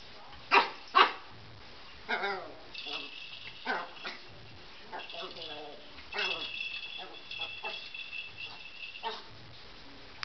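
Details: A Chihuahua named Colbie playing with a ball: two sharp yips open, then a run of quick yappy barks and whines, mixed with background human speech.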